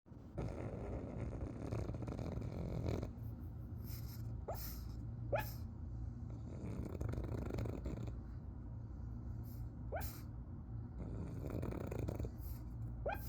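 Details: A pug lying with its tongue out and eyes open snores in deep, rasping, rumbling breaths, broken every few seconds by short, sharp, high, squeaky yelping barks.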